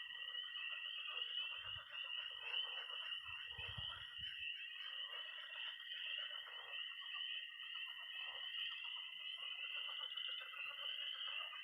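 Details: Night chorus of tree frogs, toads and pond frogs in early spring in Missouri: a dense, continuous high peeping and trilling band, with softer lower croaking bursts beneath, especially around the middle.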